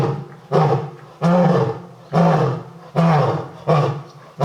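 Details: Lion at Tokushima Zoo, Japan, giving a deep, very loud voice that still sounds somewhat cat-like: a series of about six booming grunting roars, each roughly half a second long and repeated about once per second.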